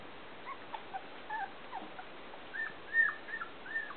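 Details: Pointer puppies at Wild Apple Kennel in 2011 give scattered, faint whimpers: short arched squeaks, some falling, coming irregularly from several pups, with the loudest high whine near the end and a steady hiss behind.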